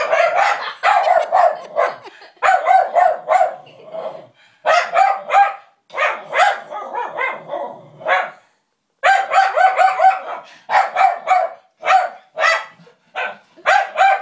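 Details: Lulu the dog barks at a puppet she dislikes: loud, sharp, harmonic barks in quick bursts of two to four, with short pauses and a longer silence around nine seconds.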